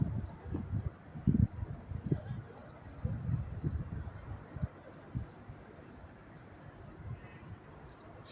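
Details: Night crickets near a New York City train station at Willets Point on May 28, 2024, about 10:30 p.m.; steady high chirps repeat roughly twice a second above a low rumbling background of distant traffic-like noise.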